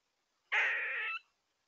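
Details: On a trail camera in Tomahawk, Wisconsin, in early September 2022, a black (grey) squirrel gives one harsh, nasal rasping call lasting under a second, described as a mating call. The surroundings are quiet before and after.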